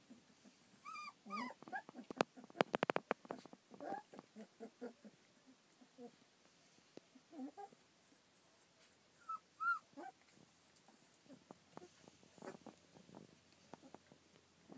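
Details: Rough collie puppies, 25 days old, born 27 February 2013 and filmed 24 March 2013, whimper and squeal in brief high bursts through fifteen seconds, with knocks, rustling and a sharp clatter early on.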